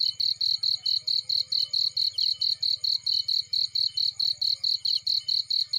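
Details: High-pitched cricket chirps from a field with a fireplace burning nearby, sharp pulses repeating evenly around four per second, a soft low rumble of flames underneath.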